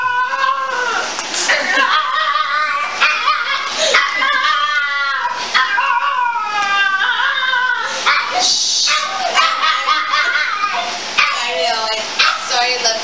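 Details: After a week apart, a dog welcomes its returning owner with long, wavering, howl-like whines and yowls, almost talking, sustained and insistent, with people's voices breaking in now and then.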